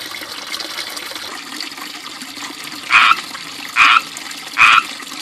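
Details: Frogs that moved into a small backyard fishpond ringed by ivy, chirping loudly: three short, two-toned calls in the last half of the clip, under a constant trickle of fountain water.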